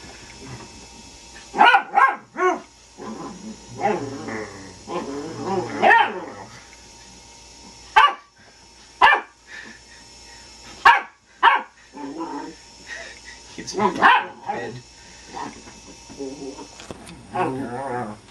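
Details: Indy, a pet puppy playing at home, worked up when blown on: sharp barks and yelps in bursts, some drawn into harmonic whining growls, separated by short pauses, with faint human voices between.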